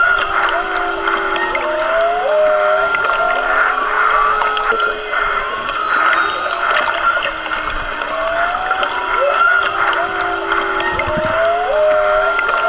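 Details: Underwater hydrophone recording of a mother whale and her calf near a boat off Maui, 3-22-16: repeated rising and falling tonal moans and whistles in phrases every few seconds, over constant ringing ambient noise and a brief click.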